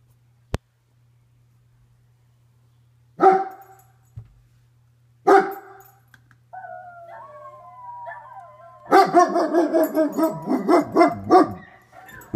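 A German Shepherd gives two deep, sharp barks, then a wavering whine and a run of rhythmic howling barks.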